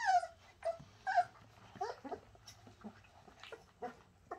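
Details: Bernese Mountain Dog puppies from the Shasta litter produce sharp high whimpers, three loud ones close together at the start, then softer scattered squeaks; a person exclaims right afterwards.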